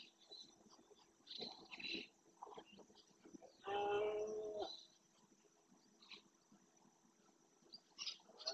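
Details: Rutting red deer stag in the Doñana National Park marshland, Spain, roaring to claim territory during the berrea. A single loud, harmonic bellow lasts about one second amid faint bird chirps and background rustling.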